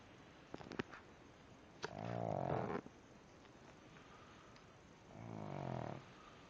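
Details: Pug snoring while fast asleep: two long, rough, low snores about three seconds apart, each lasting under a second, with a few faint clicks before the first.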